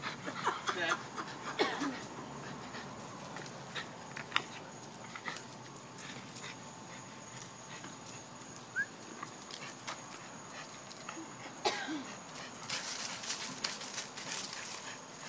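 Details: Pet French Bulldog making weird noises: sharp snorts near the start, then soft breathy panting and scattered sniffs, a louder hissing burst near the end, and a steady faint electronic hum throughout.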